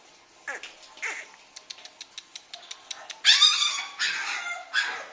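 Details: Puppies at an Indian dealer, recorded 7 December 2020: two short descending whimpers, then a quick run of sharp high ticks, then loud, shrill squealing yelps that rise and fall in bursts near the end.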